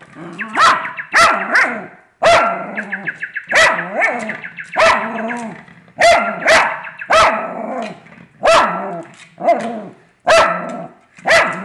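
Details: Pet dog barking in frustration at a fake bird, with repeated sharp barks and whiny, yelping growls in irregular bursts, a steady chirping tone from the fake bird running through several stretches.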